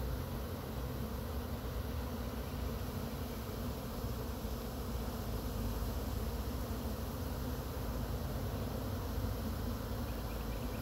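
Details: Swarm of honey bees in Chattanooga being slowly brushed off a pine tree into a box with frames, sounding increasingly aggravated; a dense, steady low buzzing hum fills the whole recording without pause.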